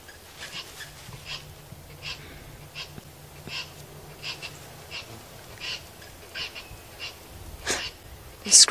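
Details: At a dam at sunrise in July 2016, a very angry squirrel alarm-calls, possibly at a fish eagle, with short, sharp, high chips repeated roughly every half-second, a louder burst near the end and a low hum behind.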